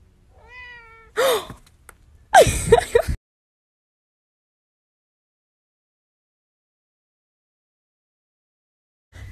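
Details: Pet cat 'talking' in a compilation of speaking cats: one short harmonic meow that rises then falls, followed by two bursts of broadband scuffling noise, then silence.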